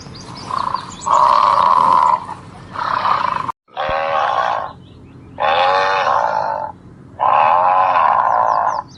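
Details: Elephant giving a series of loud, rasping, roar-like calls, each lasting about one to one and a half seconds, with brief quieter gaps between them.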